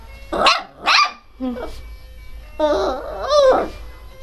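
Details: Pinscher dog barking loudly and crying: two sharp, harsh barks in quick succession, a short yelp, then a drawn-out, wavering whine that rises and falls before fading.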